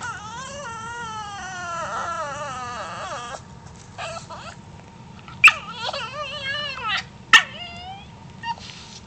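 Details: Teased pet dog Bruce gives a long, quavering, baby-like cry for about three seconds. It bends up and down in pitch, then trails off. After that come shorter sliding whimpers, punctuated by a couple of sharp knocks.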